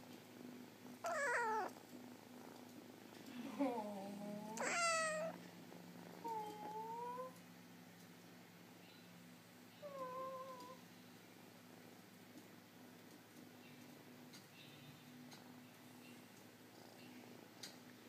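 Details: Sleepy pet kitten at nap time gives several soft, high meows and squeaky rising-falling mews, spaced a few seconds apart over a low steady hum, fading to quiet near the end.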